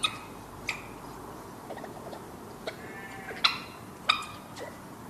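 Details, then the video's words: Young European badger making high-pitched, squeaky clicking noises: a few sharp, scattered clicks and short squeaks at irregular intervals over steady background hiss. "That noise was actually from a young badger."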